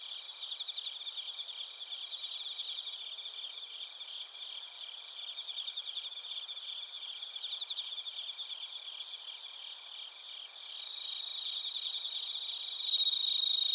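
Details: Bell crickets and other crickets in Narita, Chiba Prefecture, Japan, captured on a TASCAM Portacapture X8: a dense chorus of rapid pulsed chirps, nearly four per second, over steady high ringing tones, growing louder near the end.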